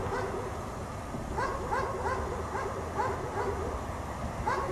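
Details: Dog chained outside in cold snow barks all day: irregular short barks, some paired, spread across the recording, with steady low background rumble.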